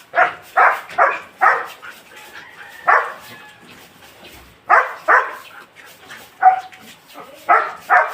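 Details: Belgian Malinois barking in quick bursts: a run of four sharp barks, a lone bark near three seconds, then further clusters of two to three after a pause, with faint background noise between.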